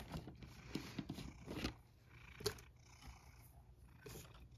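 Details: Sacchan, a male rescued cat who lives at Kazeno Kobo with an elderly woman, gives a low purr around his dinner, mixed with sharp clicks, taps and rustling indoors.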